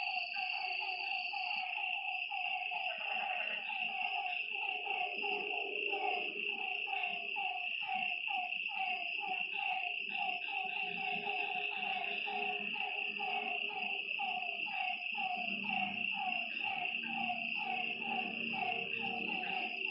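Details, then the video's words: Night frog chorus by a lakeside, many callers overlapping in quick, jumbled downward notes, with a constant shrill insect buzz above and soft low background noise. "Lakeside night creatures and frog sounds"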